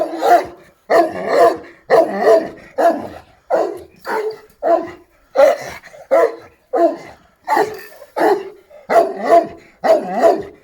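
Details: Šarplaninac dog barking steadily, loud full barks repeated about once a second, twelve in a row, each with a rough harmonic tone and short gaps between.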